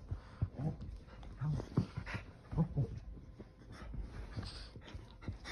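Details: Keeshond rolling around on a couch, settling in with odd vocal noises: a few short, low, grunting whines close together, plus breathy panting and soft rustling from movement.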